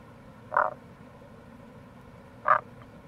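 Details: Two short, grating croaks about two seconds apart from a wild Tago's brown frog, Rana tagoi, recorded in April beside a gorge on the Kamo River in Itoshima, Fukuoka, with a constant low murmur of running water behind.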